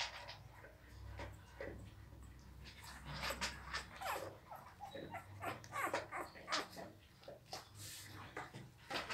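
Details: Seven-day-old Pit Bull pups whimper and squeak in a busy overlapping stream of short, thin, high cries, several per second at times, over a low steady hum and soft shuffling.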